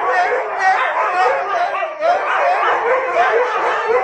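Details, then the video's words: Huskies in a pack howling when people sing close by: a short burst of tangled, wavering howls with higher yipping, slurred notes sliding up and down, all voices overlapping continuously. "Никогда не пойте рядом со стаей хаски"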